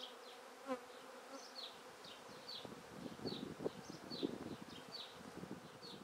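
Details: Honey bee swarm being taken from a tree directly into a swarm basket: a steady, low droning hum with rising and falling intensity, while small birds chirp repeatedly in the background.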